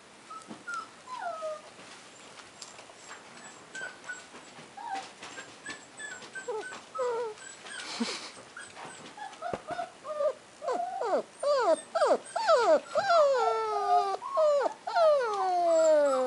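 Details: Male cream and white Toy Poodle puppy whimpering indoors: soft, scattered high whines at first, building into frequent bending, wavering cries that rise and fall, growing louder and denser toward the end, repeated roughly twice a second.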